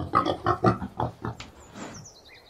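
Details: Boar grunting: a series of deep, rough grunts in quick succession, roughly five pulses in under two seconds, then a fading higher squeal-like note at the end.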